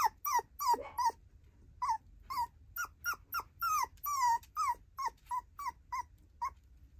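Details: An affectionate tiny poodle girl lets out a long run of nearly twenty brief, pitched whines. They fall in tone and come in uneven bursts, with short gaps, against a soft low hum.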